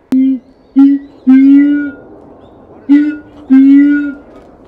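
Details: Keiji, a captive siamang at Higashiyama Zoo in Japan, calling energetically on 17 January 2023, a sound he often makes early in the morning. Five deep, hollow booming notes at uneven intervals, some with a brief higher overtone, over a quiet background.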